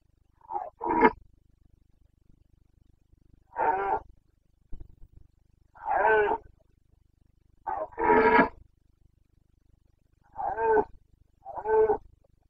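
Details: Carpathian red deer stag roaring during the rut in the Bucovina mountains, Romania, late September 2022 breeding season: harsh, rasping bellows in short bursts, often paired, about every two seconds, over a quiet background.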